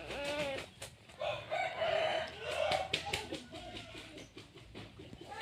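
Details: Squealing whines from newborn puppies, part of a litter of nine, come in a dense run of wobbling, high cries, some drawn out and rising and falling. A low hum and background chatter sit underneath.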